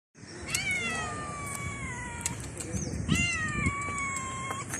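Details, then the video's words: Stray street cat meowing at a person outdoors: two long, clear, harmonic meows, each starting high and sliding gradually downward, the second beginning around three seconds, over steady low background noise. "Stray Cat Meowing At Me"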